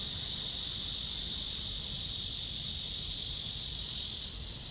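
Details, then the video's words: Shrill cicada drone from a tree during a walk at 9:27 on 23 August 2020 under a blue sky: a continuous high buzz that drops suddenly in loudness near the end. "나무에 매미"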